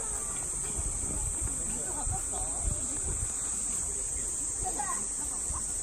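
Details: Platypleura kaempferi cicada in Saitama Prefecture, Japan, in August 2019, giving a steady, unbroken, shrill high buzz that holds evenly throughout, over a low rumbling outdoor background.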